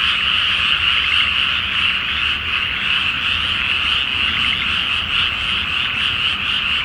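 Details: Night frog chorus over a water-filled rice paddy before transplanting, beneath the full moon: countless frogs croaking together, a dense shimmering band with rapid uneven pulses, roughly three or four per second, and a faint low background drone.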